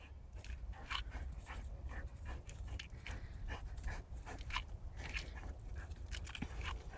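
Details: Boxer dog at play, breathing in quick, rhythmic pants: short breathy huffs repeating about every half second over a steady low rumble of background noise.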